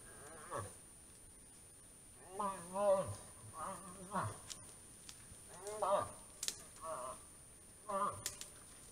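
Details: Rutting moose in autumn voicing moan-like, wavering nasal cries, about seven short harmonic calls with sagging endings, irregularly spaced, with a faint steady high tone in the background.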